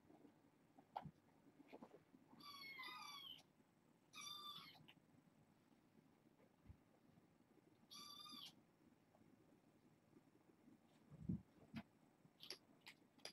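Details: Kittens at bedtime in a foster home, part of a six-kitten litter of four females and two males born August 29th; three clear, drawn-out high meows spaced a few seconds apart, a faint fourth near the end, light rustling between.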